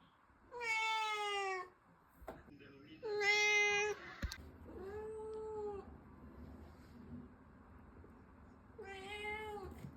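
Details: Pet cat indoors, giving four drawn-out, nasal meows about a second long each, spaced a few seconds apart, the last two softer and more level, over a faint low hum.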